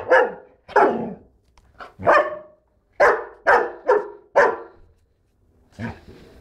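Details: Lord, a black German Shepherd Dog, barks in a loud, irregular volley of about eight sharp, rough barks over six seconds, some coming in quick pairs, with a softer final bark after a short pause.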